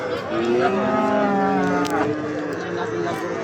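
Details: Bellowing cattle at a crowded Bangladeshi cattle market in Gazipur before Eid al-Adha. A steady, sustained low moo holds for about two seconds, then fades as people talk nearby.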